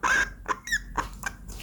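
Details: A pet hedgehog, being handled after a nail trim, gives a series of short, high, thin squeaks in quick succession when its genital area is touched; its owner of four years had never heard it call before.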